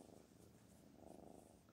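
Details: Domestic cat Black Panther purring close up, an even, rapidly pulsing rumble that holds steady throughout.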